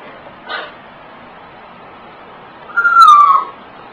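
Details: A 16-year-old pug hunting for a hot dog gives a single drawn-out, slightly falling whine lasting under a second, preceded by a soft brief noise burst; otherwise quiet.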